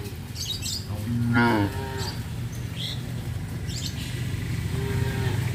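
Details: Village cattle on a traditional farm give a short, mid-pitched moo with a rich harmonic stack about a second and a half in. Then a steady low hum, a few faint bird chirps and distant street noise follow.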